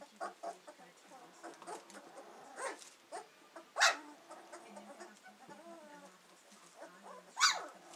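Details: Hovawart puppies about two weeks old, beginning to explore with their senses, make soft whimpers and squeaks with occasional sharper yelps, over a low steady background hum.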